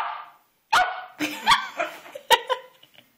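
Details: Five-month-old Pomeranian Melo attacking a carpet: a run of yappy barks and squeaky yips, crowded close together over about three seconds, with some rough scuffling in between.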